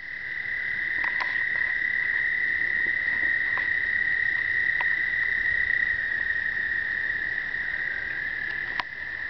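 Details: American toads breeding explosively in an Indiana pond on the first warm days of early spring, the whole surface full of toads, give a steady, high, musical trill that runs on without a break.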